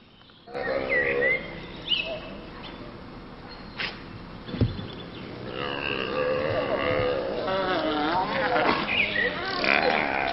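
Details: Grey wolf. Several grey wolves join in a howl, their drawn-out voices bending up and down and overlapping into a chorus. Shorter yelps and a few low grunts break in between the longer notes.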